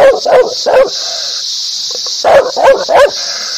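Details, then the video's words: Loud dog barks in two quick runs of three, roughly a third of a second apart, over a constant high-pitched hiss. "Dog barking sounds/Dog barking happy ,agrassive, loudly,angry"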